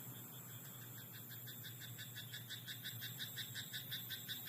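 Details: Frog croaking in a rice paddy at night: a steady train of short, bright, rattling croaks repeating almost three times a second for about four seconds, over a constant low hum.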